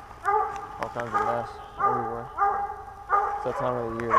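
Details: Hunting dog during a 2021 squirrel hunt in Pennsylvania, giving a run of loud, harmonic barks, each about half a second long, roughly every half to one second, with short gaps between bursts.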